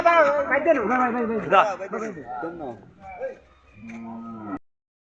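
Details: Cattle being loaded onto a truck: a burst of wavering, overlapping bellowing calls, followed by a steady, lower, drawn-out moo near the end, with some human voices mixed in.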